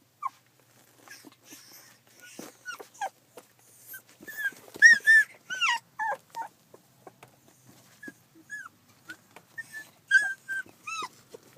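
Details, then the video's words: Collie puppies fourteen days old, filmed 9 July 2012, giving repeated high whimpers and squeaky rising-falling yelps in irregular bursts, several overlapping, with soft rustling between calls. "コリーの子犬 ２０１２年７月９日撮影（生後１４日）"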